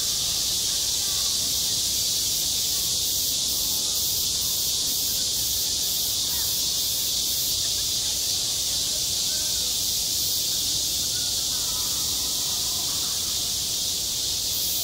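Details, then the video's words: Midsummer cicada chorus over a school playground, an unbroken shrill buzzing wall of sound with a brief run of quick regular pulses near the top around the middle, and faint murmuring voices underneath. "한 여름 운동장에서 매미가 울고 있다 - 여름의 소리, 학교 종소리, 매미 울음소리"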